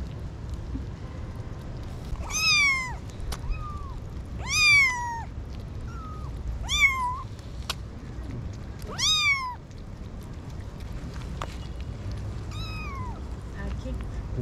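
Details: Tiny kittens, six to eight weeks old, found at a parking garage gate after their mother had been missing for a week, give high, falling meows with bright harmonics, about six calls spaced two to three seconds apart over a low background hum.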